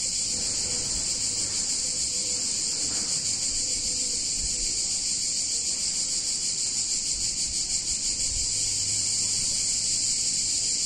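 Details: A chorus of cicadas in an Italian town on a hot summer day keeps up a continuous shrill, rasping hum without pause, with a soft low rumble and a faint tone near the middle.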